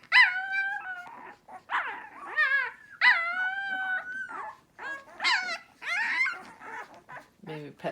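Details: Several hungry puppies awaiting their mother give overlapping whines and yelps, some calls rising and falling, others flat and sustained, at irregular intervals; a soft spoken voice appears near the end.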